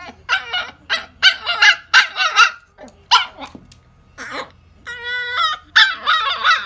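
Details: Toy Poodle described as talking, giving a run of short, bright harmonic yelps and whines in quick bursts, then a drawn-out tonal whine that holds steady before more yelping; a low hum underneath.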